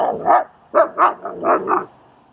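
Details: Dog barking during a training and socializing session in Queens, New York, where Strike, a German Shepherd, helps train another dog, Leonidas: five harsh, rough barks in quick succession over about two seconds, the last pair close together.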